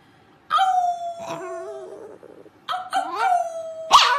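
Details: Pet dog howling in two bursts: a sustained tone near 700 falling slightly, a brief pause, then a second overlapping howl with wavering harmonics and a sharp yelp at the end; quiet room background.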